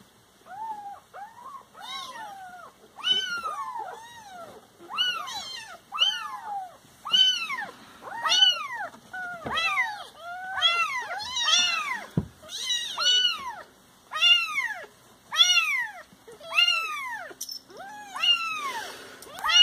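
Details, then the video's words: Siamese cats at home meowing loudly and insistently, a dense string of arched, nasal cries nearly every second, several overlapping, in a quiet room. "Petit moment rigolo de mes petits cocos siamois"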